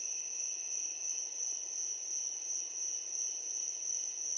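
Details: Crickets chirping at night: a steady, shrill, high-pitched trill held without a break, with a fainter band above and softer hiss below, no other clear sounds.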